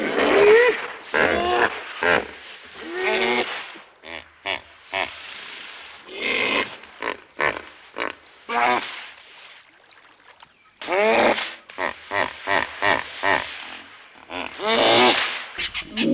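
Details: An African hippopotamus wallowing contentedly in a deep mud pool beside the S25 Crocodile River Road in Kruger, early in the morning, gives bursts of deep, rhythmic, honking grunts in quick pulsed series.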